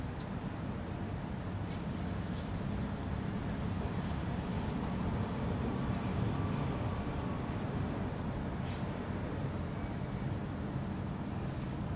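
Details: Steady low rumble of passing traffic or engine noise, with a faint high whine and a few brief clicks; no animal voice stands out.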